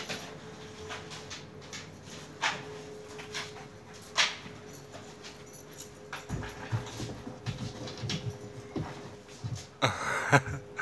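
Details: Akbaş shepherd dogs Zeyna and Güdük Reis playing together in Turkey: scattered short, breathy huffs and scuffling bursts at irregular intervals, with a denser flurry near the end over a steady low hum.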